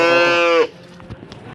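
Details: Cow at an East Java cattle market gives a short, steady moo of about half a second that cuts off sharply, followed by faint market clatter.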